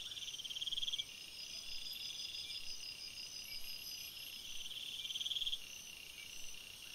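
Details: Night forest crickets: continuous shrill, overlapping chirping in several high bands, broken by two short bursts of fast pulsed trill near the start and end, over a soft hiss of background noise.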